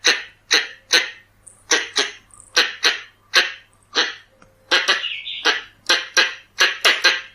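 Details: Pallas's squirrel (red-bellied) used as a lure: sharp, noisy chuck notes in irregular pairs and runs, mixed with high thin squeaks and a brief wavering whine near the end.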